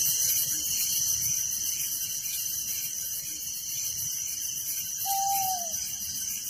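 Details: Crickets at night in a village give a dense, steady high-pitched trill, pulsing rapidly and unbroken throughout, with one short falling whistle from another creature near the end.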